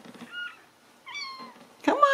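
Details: A stray Ragdoll kitten found away from its litter in a central Kansas home cattery cries with two short high meows, the second drawn out and falling, then a louder squeal as it is handled.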